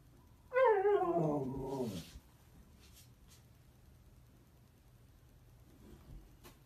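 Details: Siberian Husky indoors giving a single drawn-out wavering howl-like vocalisation about one and a half seconds long, falling in pitch at the end, followed by quiet room noise.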